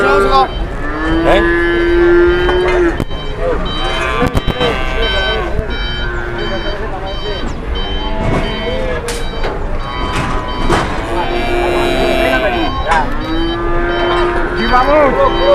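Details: Market cattle causing a stir while one lies down and will not rise: repeated long, resonant moos from several animals, some overlapping, separated by short gaps. Clattering and crowd noise are in the background.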